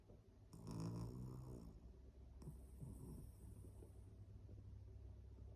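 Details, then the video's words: A sleeping Pomeranian snores in two long, low rasping breaths, the first louder and rougher with a hissy edge, the second softer and trailing off, over a steady low background hum. "코골면서 .1. 🤍 잠자기"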